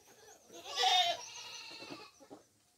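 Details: Goat fed coconut pulp, known locally as tubuan, lets out one short, strained, wavering bleat amid rustling and munching noises.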